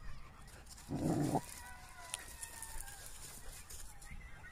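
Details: Samoyed named Thor playing in a park during a walk: a single loud, short, gruff bark near the start, then quieter outdoor background with faint thin tonal sounds and distant rumble.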